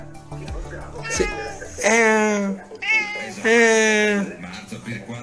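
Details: Pet cat meowing in reply as its owner talks to it in Italian; three drawn-out, tonal meows, the last one the longest, following a brief spoken phrase, with faint background sound.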